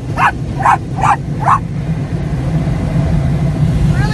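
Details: Pet Yorkshire Terrier on his first car wash visit, barking as a guard dog at the machinery noise after dark; four sharp, high yapping barks in quick succession over a loud, steady low rumble of car wash equipment.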